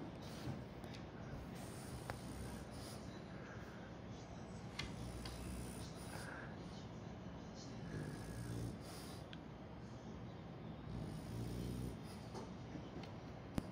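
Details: Kome, a French Bulldog asleep in a spot it insists on using as a pillow, gives continuous deep, throaty snoring with rhythmic rasping breaths and faint snorts, plus a few small clicks.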